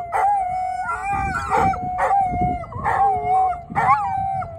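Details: Howling dogs in Thessaloniki, several voices overlapping in long, sustained tones with rising and falling inflections and brief gaps, sounding like a chorus.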